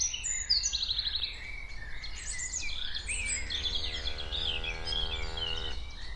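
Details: Cows walking around outdoors; midway, one steady, low, harmonic-rich moo-like tone holds for nearly three seconds, beneath busy chirping and whistling birdsong from several birds.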